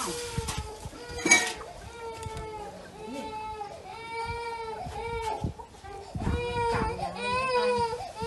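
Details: Poor kittens eating fish with rice keep up a steady chorus of plaintive, wavering mews, many voices overlapping for the whole stretch, with a sharp clatter near the start.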